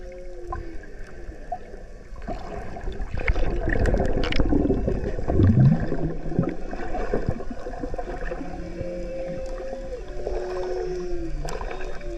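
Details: Humpback whales, a mother and calf off the coast of Maui, heard underwater: low moaning tones and higher wavering whoops sliding up and down, amid gurgling water and splashes.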